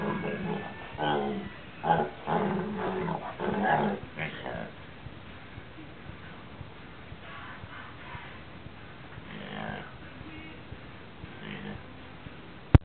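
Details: A gigantic Basset Hound lets out deep, groaning howls in short, uneven bursts after eating sardines, as it does every time, then only faint rustling remains, ending with a sharp click.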